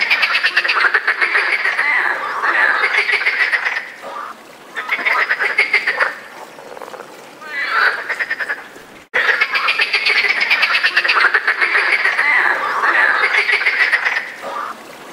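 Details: Several European frogs calling together during the mating season, loud grating croaks delivered in rapid trains, bursts separated by short quieter gaps, the chorus swelling strongly again after a brief cut midway.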